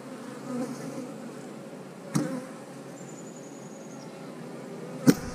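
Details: Eight-frame honey bee hive humming while being worked; a continuous low drone broken by two sharp knocks from handling the equipment.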